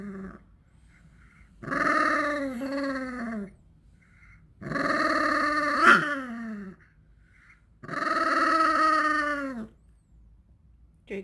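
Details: {'text': 'Thirteen-year-old dog waiting eagerly for its favourite snack produces three long, drawn-out growling moans, each about two seconds, harmonic and slightly falling in pitch, spaced by short silences.'}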